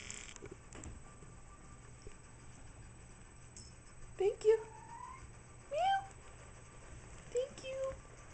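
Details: Yori, a young female cat adopted from the SPCA who chirps rather than meows, playing fetch indoors; short rising chirps around four and six seconds, then a brief trill near the end, over quiet room hum.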